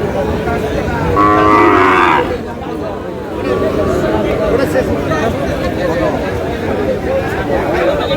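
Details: Sahiwal bull calf bought at a cattle market by a farmer from Natore, Bangladesh; one loud, drawn-out lowing moo lasting about a second amid constant crowd chatter and market noise.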